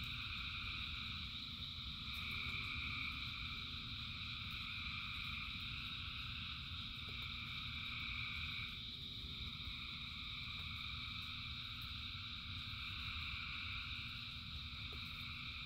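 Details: Frogs singing in rain, thousands strong: a continuous, pulsing high chorus whose bands shift slightly midway, a brief lower steady tone early on, all over the low drumming of rain.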